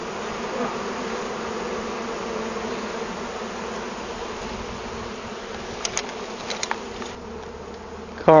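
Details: Honey bees from a hive found inside a large felled tree, with the queen caught and bees being collected by bee vacuum; a steady, dense low droning hum throughout, with a few sharp clicks and knocks near the end.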